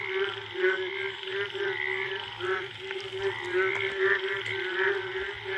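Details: Jungle frogs in India on a rainy-season night after the first rain, a mating chorus of sharp, rattling croaks in short rolling bursts layered over a steady frog hum.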